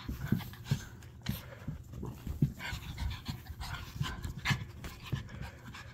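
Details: Panting from dogs Winnie and Abrams, out with their dog walker: quick, airy breaths in a steady stream, broken by soft low knocks and the rustle of movement.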